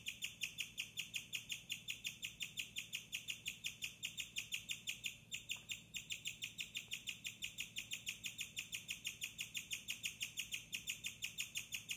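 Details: A female guinea pig chirps at night in her cage with a cage-mate, giving a steady, high-pitched, bird-like series of rapid notes, about three each second.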